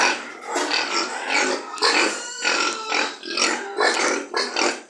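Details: Pigs at a pig farm giving loud, strained squeals in rapid surges, roughly two per second, several voices overlapping.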